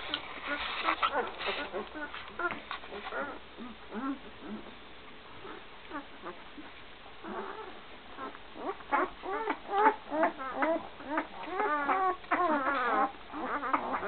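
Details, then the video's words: One-week-old Great Dane pups with Gracie, recorded in 2012. A dense run of short, bent whimpers and squeals from the litter. The calling grows busier and louder in the second half, with rapid overlapping cries. "Gracie n pups 1wk old 2012"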